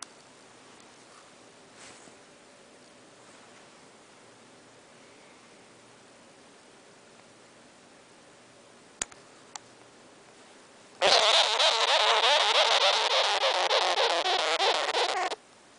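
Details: A pet sugar glider growls, letting out a harsh, rapidly pulsing buzz lasting about four seconds after a quiet stretch.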